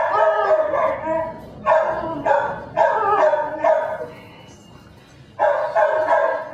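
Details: Belgian Malinois puppy named Dinar, nicknamed Cricket, from a des Champs kennel in Mexico, giving high yappy barks in short bursts of three or four, separated by brief pauses.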